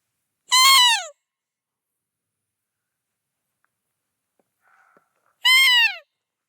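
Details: A roe deer buck, believed to be with a doe, gives two hoarse, harsh barks about five seconds apart, each dropping in pitch, at night in a forest.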